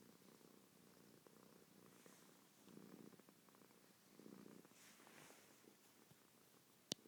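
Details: Oreo, a fat pet cat, snoring while asleep indoors: soft, breathy low rumbles rising and falling about every one and a half seconds, quiet against faint room noise, with a sharp click near the end.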